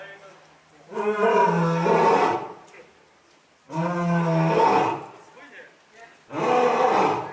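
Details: Young lion in a zoo enclosure at Asahiyama Zoo, Japan, October 2021, during an active play session. Three powerful roars of roughly one to one and a half seconds each, rough and layered, following one another closely.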